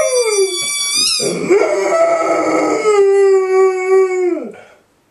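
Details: A 2-year-old male Golden Retriever howls with excitement while playing with his favourite squeaky ball, in drawn-out, wavering tones that slide downward and fade.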